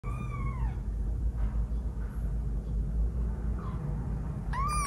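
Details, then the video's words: A 12-day-old kitten giving its first meows: a high, thin mew arching down at the start and another at the end, with steady low rumble underneath. "The first mewoing of a 12 days old kitten"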